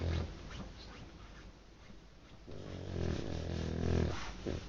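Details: Sleeping dog snoring loudly indoors: low, rough, rumbling breaths, one near the start and a longer, heavier stretch in the second half.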